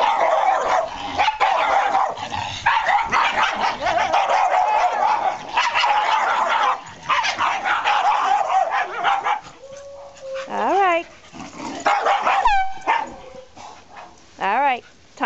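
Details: Two male Shiba Inus meeting a dog named Lucy indoors: a run of dense, overlapping barking and yapping, then rising and falling high whines and yelps in short bursts, with a person calmly reassuring the dogs.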